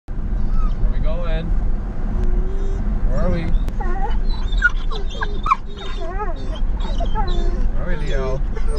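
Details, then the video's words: Several excited dogs howl in a car on the way to the park. Wavering, whining howls rise and fall, mixed with a person talking over them and a constant low car rumble. "EXCITED Dogs in Car Can't Stop Howling For The Park"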